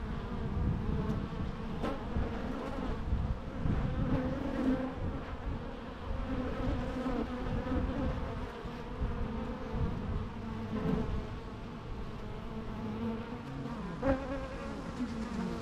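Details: Continuous droning buzz of bees, a thick low hum with stacked harmonic bands, individual insects passing closer and louder at intervals, with a few faint clicks.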